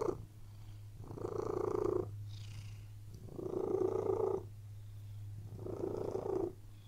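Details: Relaxed cat lying on a bed, purring steadily: three long rasping purr phases separated by quieter gaps, each lasting about a second, over a constant low-pitched hum.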